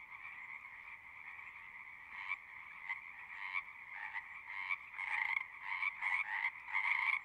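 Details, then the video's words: Frogs singing at a pond in a horse pasture, recorded with a Zoom 6: a steady background trill is joined by louder, closer pulsed croaks that come in bursts and grow more frequent toward the end. "Frogs singing"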